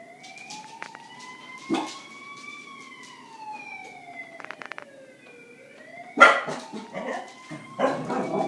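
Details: Corgis doing a trick give a long, wavering howl that rises and falls like a siren.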